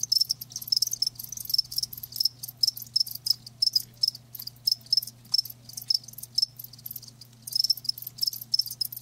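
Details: Live crickets chirping in rapid high-pitched pulses, short bursts repeating several times a second with brief gaps, over a faint steady low hum.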